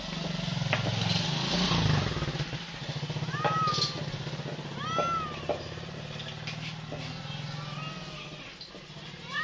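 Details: Cat giving a few short arched meows, each rising then falling, spaced a second or two apart, over a steady low engine-like rumble and background noise.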